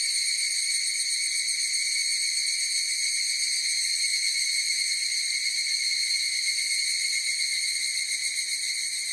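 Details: Higurashi cicadas singing together in a constant high-pitched, shimmering drone, very even in volume, with a quick underlying flutter and no other sounds.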